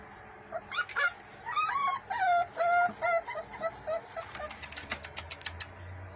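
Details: Pit Bull puppies at play, biting one another: a run of high, whiny yelps and whimpers with clear harmonics, some rising and falling, followed by a quick series of short clicking taps.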